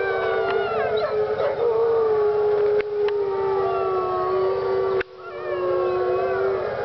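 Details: Several wolves howling together at Parc Oméga, long sustained mournful tones that slide slightly in pitch and overlap in a layered chorus, with a couple of sharp knocks partway through and a brief dip before the howling resumes.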